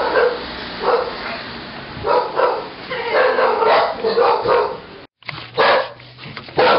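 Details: Welsh corgis, Cardigan and a Pembroke named Goro, recorded 13 May 2011, giving a run of mid-pitched barks in uneven bursts, with a brief dropout near the end and human voices mixed in.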